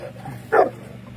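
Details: A single short, sharp bark from a dog at an urban dog show, cutting through a quiet low hum in the middle of the moment.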